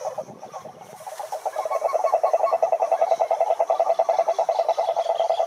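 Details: Cane toad chorus from a lake in the Brazilian Atlantic forest, Rhinella marina calling in the wild: a brief murmur of background sound, then a strong, even, rapidly pulsed low trill that builds and holds.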